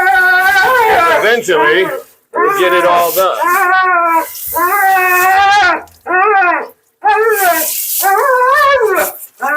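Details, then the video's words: Mila, a talkative female Siberian Husky at her second-ever groom, protests loudly during a bath: long wavering howl-like vocalisations with rising and falling harmonics, in about six bursts separated by short pauses. "Talking Husky FURNADO Bath and Blowout"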